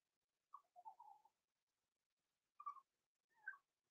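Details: Six-week-old blenheim Cavalier King Charles Spaniel puppies, Roman and Blue, born November 14, 2022, overnight in an indoor puppy pen. Soft, mid-pitched whimpers come in short wavering bursts, a cluster early on, then two more brief cries after a quiet pause.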